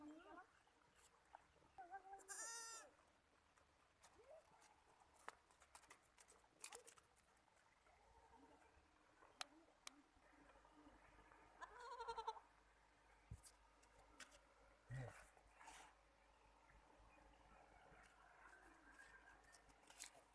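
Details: Young goat kids, Kamori and Sindhi goats on a farm, with Kamori goats keeping mosquitoes off the young. One clear, wavering, nasal bleat near the start and fainter bleats later, amid quiet clicks and knocks.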